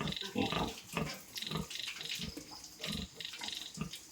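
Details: Piglets from a sow's fresh litter on a farm, the keeper preparing an anti-inflammatory injection: busy overlapping grunts and sharp squeals in quick bursts, with a faint tap-like hiss.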